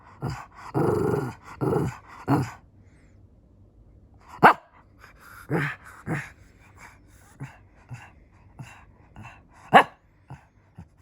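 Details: Fluffy Shih Tzu indoors wanting to play: a burst of three loud gruff barks with growly undertones in the first seconds, then scattered sharper single barks and soft huffs spaced a second or two apart.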